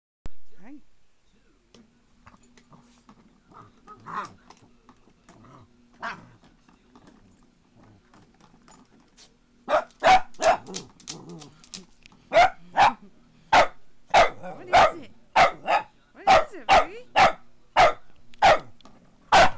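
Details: Maggie, a pet Boston Terrier that hates the foot massager, barking at it indoors: after quiet murmuring and a low steady hum, sharp broadband barks start near the midpoint and repeat rapidly, about two per second, to the end.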